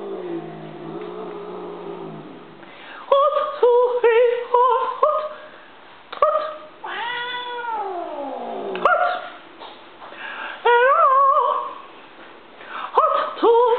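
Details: Female pet cat Stinky, reacting to her owner's military cadence chanting that she dislikes. A low human chant opens, then loud drawn-out yowls and wailing meows follow, some sliding downward, in uneven bursts indoors.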